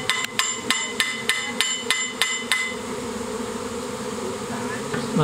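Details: Swarm of honey bees at Provaglio Val Sabbia, Italy, 25 June 2016: a dense, steady low drone of many wings, with a run of sharp metallic knocks repeated every third of a second during the first half.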